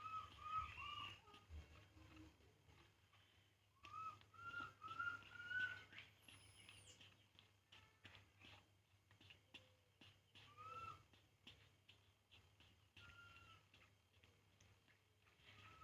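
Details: Baby monkey Poo, drinking milk, cries in repeated thin whistled notes, arched and slightly rising, in bursts of three or four with pauses between, and a few quieter whimpers later; a person speaks briefly.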